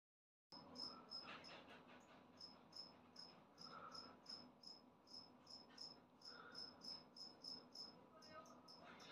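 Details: Newly emerged adult two-spotted cricket calling loudly, short high-pitched chirps repeated in a steady, rapid series of about three per second, over a low background hum.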